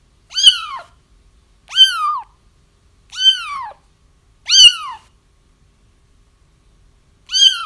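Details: Kitten cries for trapping a feral mom cat whose litter has been located: five sharp, high mews rising and dropping in pitch, roughly every one and a half seconds, clean background with no other sounds.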